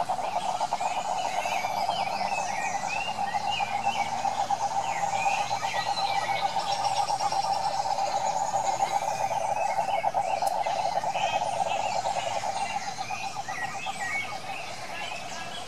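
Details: A dense night chorus of rapid, pulsing croaks, with scattered chirps above, from frogs and toads identified as cane toads (Rhinella marina), filmed in Curitiba, Brazil.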